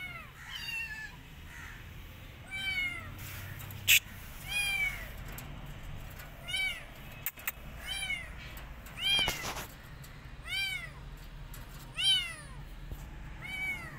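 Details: Meowing steadily, a street rescue kitten keen to head back outside and off its food gives bright, plaintive arched cries every second or so, with a couple of bangs in between.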